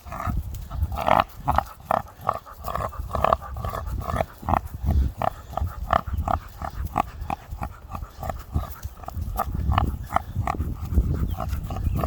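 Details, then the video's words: American Pit Bull Terrier, a pet dog mistaken by a passer-by for a pig, making rapid low grunting snorts in steady bursts, pig-like in tone, with outdoor background noise. "Funny dog reactions my hybrid American pitbull half dog half Pig"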